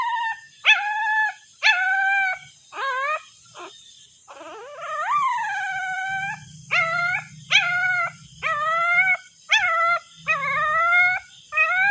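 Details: Puppy crying for its mother: repeated high whining cries, some short and falling, others long and sliding downward, about one per second; a low hum runs underneath midway through.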